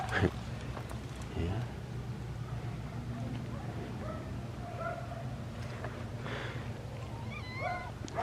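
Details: A stray cat with her kittens being fed outdoors gives short, thin meows that rise and fall, the clearest at the very end, over a steady low hum with faint voices nearby.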